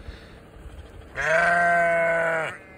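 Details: Sheep walking alongside a person during deliveries in Vermont; after a quiet start, one loud, steady, rich-toned bleat holds for over a second before stopping abruptly.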